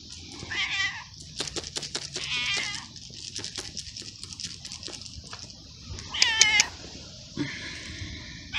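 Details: Abandoned feral cat in a garden meowing while eating, quieter: a wavering meow early, clicks and a bent meow, and a loud rising-falling cry near six seconds over background hiss.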